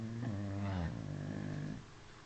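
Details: Domestic dog snoring indoors: a drawn-out, low, tonal drone with stacked harmonics that holds steady, dips slightly midway, then fades after about two seconds.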